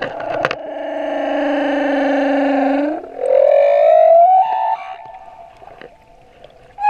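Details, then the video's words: Male humpback whale song off Moorea: a sustained, harmonic moaning tone held for three seconds, then a rising, whistly sweep climbing upward before fading into quieter sounds. "Baleine à bosse - le chant du mâle"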